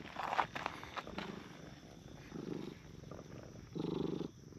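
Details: Brown tabby and tortoiseshell park stray cats sitting on a bench, being petted in turn; short bursts of pulsing, vibrating purr alongside soft rustling and handling noise.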